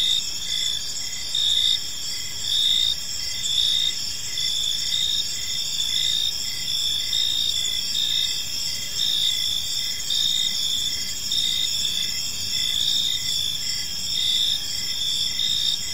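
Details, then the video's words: Park crickets at evening keep up a dense, high-pitched chorus. Steady ringing trills run throughout, and a softer lower chirp beats in regular short pulses a little under once per second. "Cricket Sounds in a Peaceful Park"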